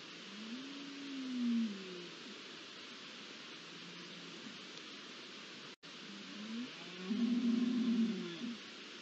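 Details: Rut beginning for red deer on a night of 20 September 2021: a low drawn-out bellow that rises and falls, then after a pause a louder, longer and rougher groaning call with a slight rising onset, all over continuous static-like hiss.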